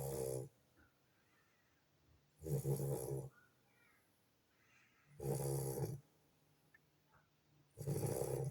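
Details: Sleeping Lagotto Romagnolo puppy snoring after extensive play time with his siblings, four loud, rasping snores at roughly two-and-a-half-second intervals, each with a low rumbling base and a hissy breath, separated by near silence.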